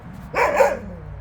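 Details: On a free walk, a Jindo dog lets out a rough, harsh double bark lasting about half a second, followed by quiet.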